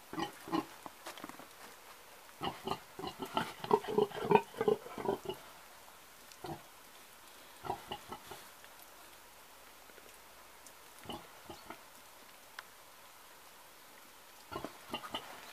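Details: Scattered grunts from an old pig: a busy burst of quick grunts early on, then isolated softer grunts spaced by long quiet stretches, with a final pair near the end.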